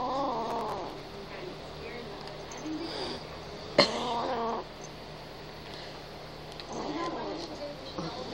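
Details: Kitten named Gryphyn growling to protect his treats: low, drawn-out, harmonic growls in three bouts, at the start, around four seconds and near seven seconds, with one sharp click between them.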